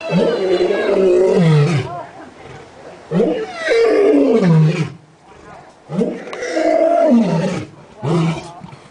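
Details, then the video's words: Captive lion at San Diego Zoo roaring at sunset while pacing near the front of its enclosure: deep, loud, moaning roars falling in pitch, in bouts of roughly two seconds, followed by shorter grunting calls. "San Diego zoo lion roaring at sunset"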